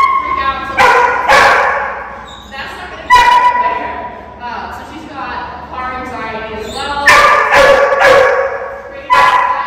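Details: Zara, a high-drive 8-month-old GSD/Belgian Malinois mix in board-and-train at OLK9 Charlottesville, barks in uneven bursts: a quick double bark, scattered single barks, then a rapid cluster near the end, with voices talking throughout.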